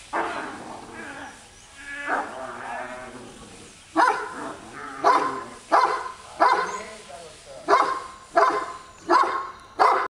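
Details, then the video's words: A Great Dane barks during a training session; a regular series of deep, short barks roughly every 0.7 seconds in the second half, preceded by a few irregular vocalizations and a person's voice. "Treino Dog Alemão"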